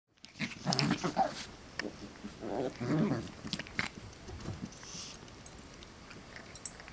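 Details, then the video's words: West Highland White Terrier puppies wrestling and playing with their parents: low growly bursts and scuffling noises in the first four seconds, then quieter rustling and faint thuds. "Westie Puppies Wrestle and Play"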